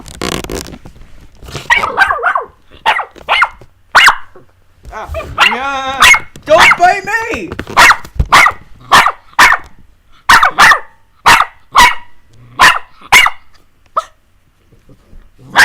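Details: Puppies Jessie and S'mores at play with their owner, giving a run of short, sharp yapping barks in quick bursts, about one every half second near the end, with a brief whiny stretch midway and a person talking over them.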